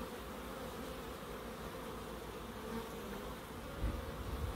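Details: Bees in a small wildlife garden in Crookes make a continuous low buzzing drone. A few louder low thumps break in near the end.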